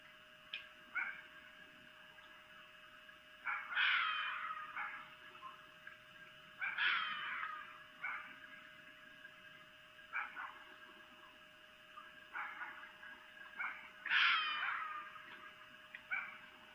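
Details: Red fox vixen's mating calls recorded by camera at Lolo, Montana, near 23:25 on 3 April 2018: three loud, grating screams a few seconds apart, each fading over a second, with shorter hoarse yelps scattered between.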